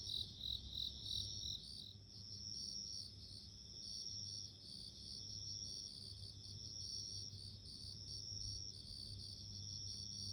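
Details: Bell cricket singing in a natural setting: high, ringing, bell-like chirps in short pulsed bursts, with overlapping steady tones suggesting more than one insect. A low background hum runs throughout.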